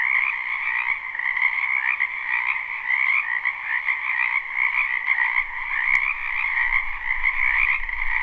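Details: Spring frog chorus from a wetland behind a house, recorded live without looping: dense, continuous overlapping trilled croaks forming steady bands, with a low rumble entering near the end and a couple of sharp clicks.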